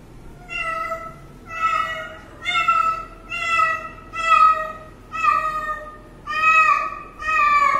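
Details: Kitten drinking water, giving a run of eight high meows about one per second, each a steady harmonic-rich cry, clear and close with a quiet background.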